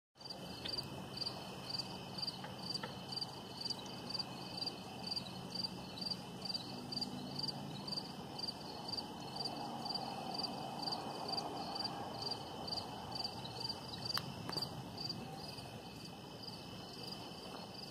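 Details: Crickets at sunset: a high, steady chirping pulsed about twice a second throughout, over a constant low background hum.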